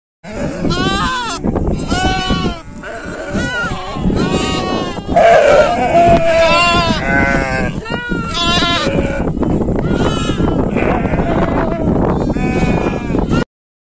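Sheep bleat repeatedly in wavering, quavering calls, with human voices mixed in.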